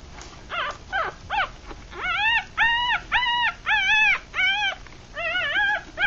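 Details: Newborn Rat Terrier–Chihuahua mix puppies, three days old with eyes still closed, at feeding time; a few sliding, wavering squeaks at first, then steady run of loud arched whimpering cries in quick succession.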